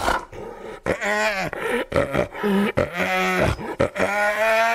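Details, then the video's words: Hyena giving a run of hoarse, harmonic calls that bend up and down in pitch, broken by short breaths. Rough, growly noise runs underneath throughout. "Hyena 4 Real Sounds or Voices - Laugh, Gasps, Calls, Growling"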